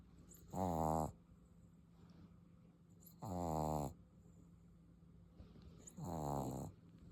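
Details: Sleeping English Bulldog puppy snoring super loud, three rough rattling snores spaced about two and a half to three seconds apart over a faint constant indoor hum.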